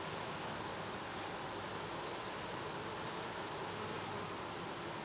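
Honey bees at a hive make a dense, steady hum of overlapping wingbeats.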